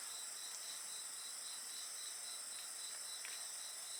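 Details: Insect voices near a campfire: dense shrill buzzing with quick rhythmic chirps, roughly four pulses per second, and a couple of soft fire crackles.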